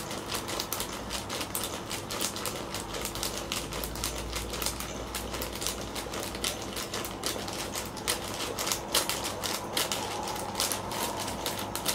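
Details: Rapid, uneven mechanical clicking and rattling, like a typewriter, from a toy continues indoors over a low hum, without any meowing.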